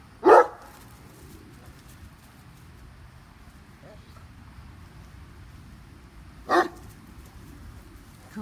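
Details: Great Dane Katie, seven years old, chasing a squirrel in a tree: one loud deep bark, a long quiet gap with faint background, then a second bark and a softer start of a third.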